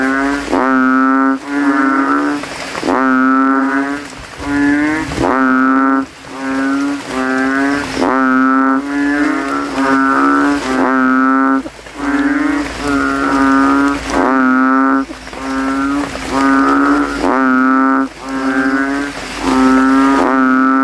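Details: Banded bullfrogs (kodok kintel) calling from a rain puddle in a cemetery at night after rain, throats inflating, rivals competing to be loudest: deep, bassy, moo-like harmonic calls repeated about every one to two seconds, several overlapping.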